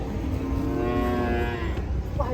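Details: Cow coming off a truck in Indonesia gives one long, steady, rich-toned moo lasting about a second and a half, with low rumbling noise and nearby voices around it.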